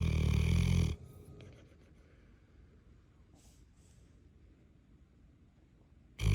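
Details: Callie, a Neapolitan Mastiff, snoring very loudly: a deep, rumbling, low-pitched snore lasting about a second, a long quiet gap of soft breathing, then the next heavy snore starting at the end.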